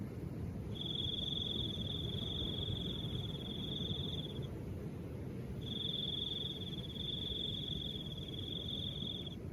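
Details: Crickets calling with soft wind; two long, steady high-pitched trills, each several seconds long, separated by a short pause, over a constant low rumble of wind.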